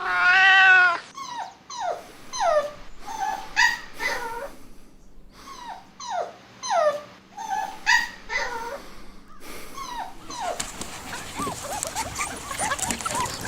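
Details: Playful puppies competing for toys on green grass: an opening drawn-out harmonic cry, then a string of short, high, downward-sliding whimpers and yips, roughly one every second, ending in broad rustling noise.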